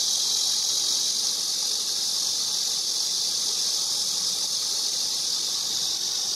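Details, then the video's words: Cicada song heard as a constant, piercing, high electric-like hiss, uniform and uninterrupted throughout. "매미 소리"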